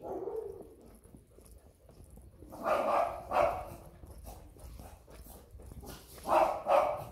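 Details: Woolly-coated Siberian Husky puppies, Rony and Kym: two pairs of short, tonal, yelping barks, the first pair near the middle and the second near the end, with quieter rustling and low background noise between them.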